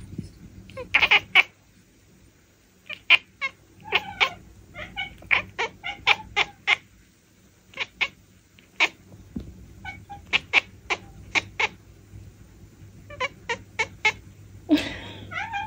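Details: Bengal cat chirping and chattering in a quiet room: rapid series of short, sharp clicking chirps in irregular clusters, some trilled, with a brief breathy rasp near the end.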